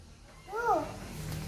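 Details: Persian cat giving a single short meow, an arched, slightly rising-then-falling tonal call lasting under half a second, with faint low room hum and no other voices during the call.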